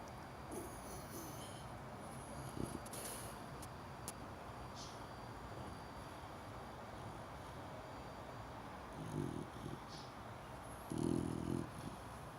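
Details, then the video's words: Cream-coloured Chow Chow puppy, four months old, snoring while asleep: soft, breathy low rasps come in short bursts late on, two close together then a longer one, over steady quiet room hiss. "크림 차우차우 chow chow 4개월된 녀석의 코골이"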